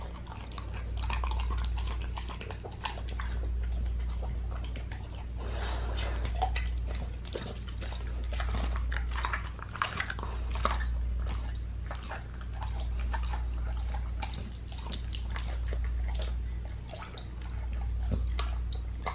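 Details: Pit bull raw-fed on a leg of lamb, chewing and gnawing indoors: dense irregular crunches and wet bites several per second, over a steady low hum.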